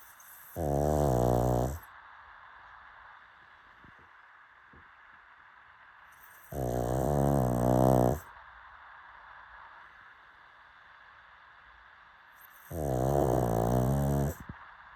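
A pug snores in deep, rattling bursts, each lasting over a second and returning about every six seconds.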